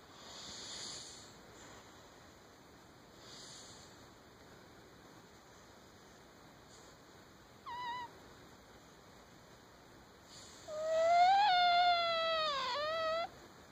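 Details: Sleeping cat with sleep apnea, quiet airy breaths at first, then a brief whistle and finally a loud, long wavering whistled snore lasting about two seconds.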